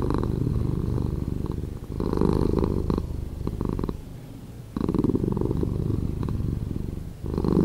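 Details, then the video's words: Cat purring, edited to sound slower: deep throbbing rumble alternating between louder and quieter phases every two to three seconds, following the animal's breathing in and out. "Cat Purring"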